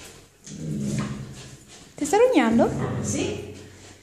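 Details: Six-month-old dark fawn sable Belgian Malinois puppy, female, during bitework training in Italy, gives one loud, short whine that swoops up and then down in pitch, amid a person speaking Italian and handling noise.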